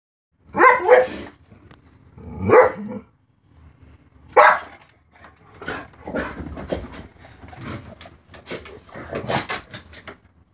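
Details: Dog barking at a cat outside: three loud, harsh barks spaced about two seconds apart, then a quicker, irregular run of quieter barks and yaps until the end.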